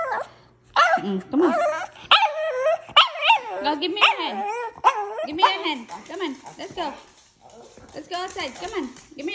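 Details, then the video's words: Shih Tzu dog 'talking' with a run of whiny, wavering, howl-like yowls that bend up and down in pitch, coming in bursts between short pauses, while a person coaxes it to go outside and give its paw. "Shih tzu talking"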